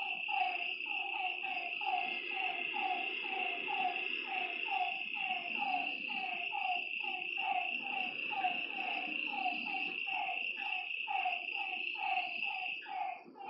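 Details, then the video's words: Night chorus at a lakeside: frogs keep up rhythmic, short downward croaks, around two each second, for the whole stretch. Insects hold a steady high-pitched drone behind them. "Lakeside night creatures and frog sounds"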